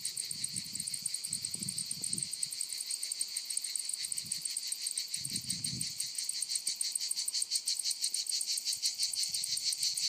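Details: High shrill cicada chorus from lavender fields of Provence, France, pulsing quickly and evenly throughout, with a few brief low bumps of handling or wind noise early on.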